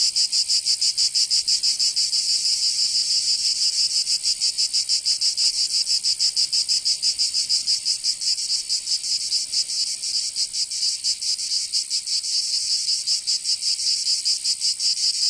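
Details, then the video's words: Many cicadas calling together in Provence, southern France, during summer; a constant shrill rasping wall of sound with quick irregular pulsing as individual singers overlap. "Canto Cigarra 🦗 [ Escuchar les cigarras en verano 10 H]"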